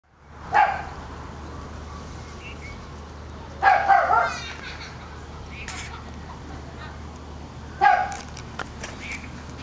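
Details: A female dachshund in Hawaii gives three sharp, separate barks spaced a few seconds apart.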